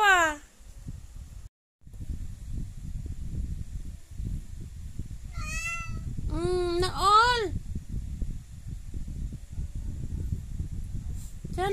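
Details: Domestic cat giving three to four bending, rising-falling meows, two of them run close together in quick succession, over steady low rumbling noise.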